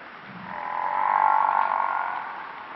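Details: Cape buffalo, the African buffalo, uttering a single long, even, moaning bellow that rises gently in loudness and tails away, against constant hiss.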